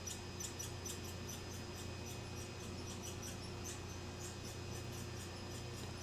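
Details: Two squirrels chatter noisily in quick, high, scratchy chips over a steady low electrical hum, around 10:38 a.m. on October 13, 2022.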